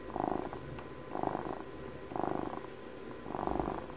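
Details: Pet cat aged twelve purring intimately near the microphone: four loud rumbling swells, each a buzzy pulse train lasting about half a second, repeating roughly once per second with calm pauses between.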